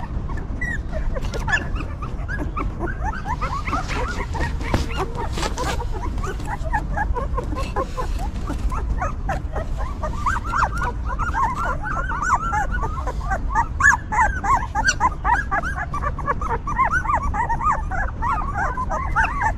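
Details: Newborn puppies of a stray mother dog, huddled together while she cares for them, giving many overlapping high whimpers and squeaks, some rising then falling, heard continuously over low background rumble.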